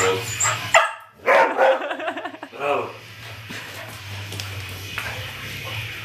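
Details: A dog, addressed in Bulgarian as a boy and told to sit, gives a short burst of wavering, yelping barks and whine-like cries lasting about two seconds, with a man's voice talking before and after.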